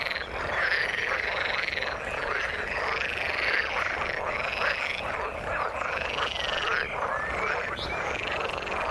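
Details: Frogs in the water croaking together, a thick, even chorus of rapid pulsed calls that keep up without a break, some arched notes repeating about once a second.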